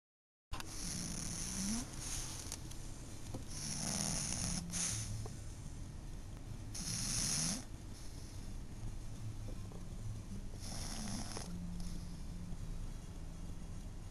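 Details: Snoring from a 12-year-old female pug named Esky napping indoors: low, rough rasping breaths repeated every few seconds, each with a hissing exhale, under a steady quiet background.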